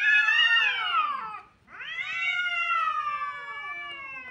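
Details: Two long, loud kitten cries, each a rich, falling wail lasting over a second, separated by a brief silent gap.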